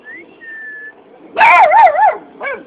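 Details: A puppy asking for a biscuit lets out a drawn-out, wavering whine-bark with rising and falling pitch, followed by a shorter yelp; faint whistled notes precede it.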